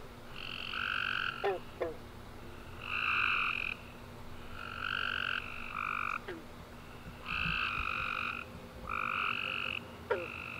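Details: After a warm rainy summer day, a nighttime chorus of tree frogs gives repeated buzzy trills in bursts, some calls overlapping, with scattered clicks and a faint low hum beneath.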